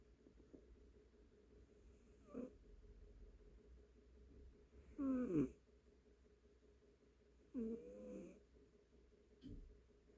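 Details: A domestic cat snoring: scattered snores at irregular gaps, each a short voiced, wavering, nasal rumble with a few rising and falling tones, on a quiet indoor background.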